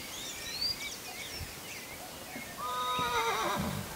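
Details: Brown purebred Lusitano stallion during training; after faint high chirps, a loud, tremulous, harmonic whinny begins at mid-pitch and wavers, then drops into a lower shuddering end, lasting about a second.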